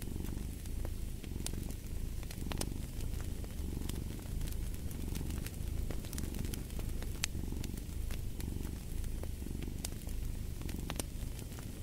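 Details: A cat purring evenly for a long stretch, a dense low rumble pulsing with each inhale and exhale, while a fireplace crackles with scattered sharp pops.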